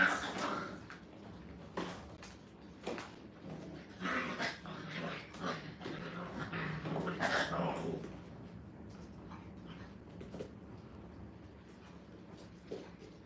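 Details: Five-week-old Brittany puppies from a litter of nine, in a playpen for the first time, give bursts of high, whiny yelps and squeals, loudest at the start and again near four and seven seconds, then thinning to sparse quieter whimpers.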